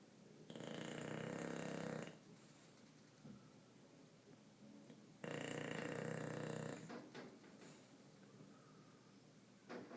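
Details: English bulldog named Bruce asleep and snoring; two long, rasping, breathy snores of about one and a half seconds each, roughly five seconds apart, with quiet breathing between.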